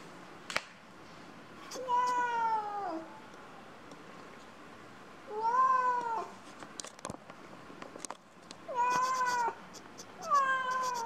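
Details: Two kittens: four drawn-out, high meows, each about a second long with a slight wavering fall at the end, spaced roughly three seconds apart, with light clicks and tapping noises between them in a quiet room.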